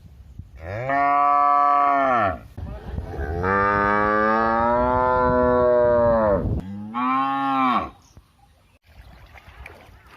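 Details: Cow bellowing in three moos: a medium call, a long drawn-out low one with a slight upward swell, and a shorter final one, with little background noise.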